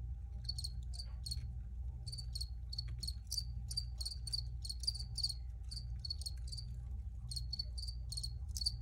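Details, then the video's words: Recorded crickets give sharp high chirps in irregular runs with brief pauses between groups, several insects overlapping, above a constant low droning background. "Free Cricket Sounds"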